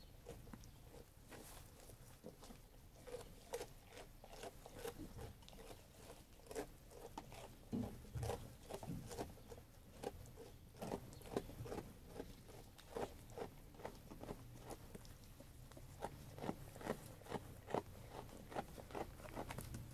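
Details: Sheep eating food: dense, irregular crunching and biting clicks about two per second, soft patter over a low rumble, recorded close up in a quiet setting.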